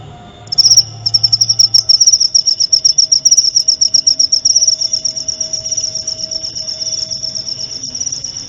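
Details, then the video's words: Cricket sound meant as training material for white-rumped shamas during nightly sessions. A high rapid trill starts after a quiet half-second, pulses loud and evenly at first, then softens slightly toward the end. "masteran suara jangkrik jernih!"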